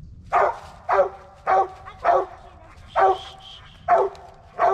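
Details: Original Mountain Cur squirrel dog barking while squirrel hunting near black walnuts and hickory flats in the last hour of daylight; loud, harsh barks repeated steadily about every half second to second, eight in a row over quiet outdoor background.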